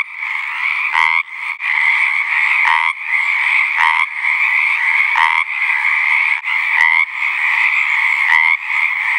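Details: Loud, close chorus of Pacific tree frogs singing mating calls in a southwestern Oregon ranch pond in spring; overlapping rattling croaks form a steady din, with individual louder ribbits punching through every second or so.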